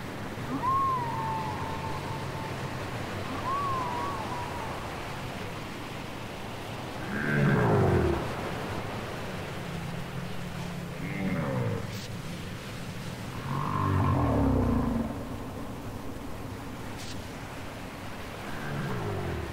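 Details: Whale song from a cassette tape: drawn-out low moans and sweeping tones that rise and fall, with loud swooping upsweeps roughly every six to seven seconds and a few higher wavering notes, over a soft ocean-like hiss.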